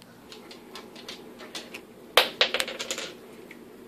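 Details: Indoors, a run of light, sharp tapping clicks like keys or claws on a hard surface, with no vocal sound.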